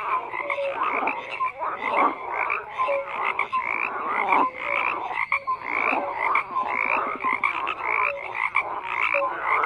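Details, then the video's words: A crowded frog chorus with harsh overlapping croaks and occasional clean, short whistled notes, the sound rising and dipping in loudness without pause. "FROGS CROAKING"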